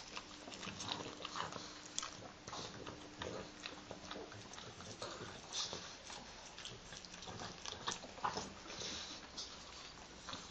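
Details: Two pet pugs share their morning grooming, licking and gently nibbling one another. Rapid soft wet clicks and smacks repeat steadily, with a brief low hum in the first few seconds.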